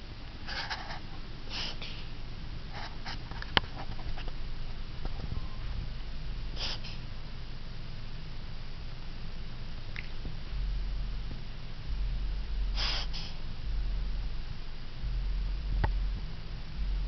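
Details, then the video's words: Jack, a Borkie (Yorkshire Terrier × Bichon cross), reverse sneezing indoors, making the odd noises that come on once in a while: short harsh snorting bursts scattered across the recording, a few in quick pairs, over a low steady room hum. "My Yorkie Bichon - Jack - Reverse Sneezing"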